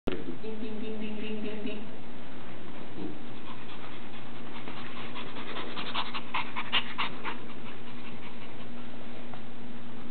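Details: Puppy proudly showing off his beloved toy monkey, trying to show people what he can do; quick breathy panting bursts fill most of the stretch over a steady low hum, with a brief tonal voice-like sound at the start.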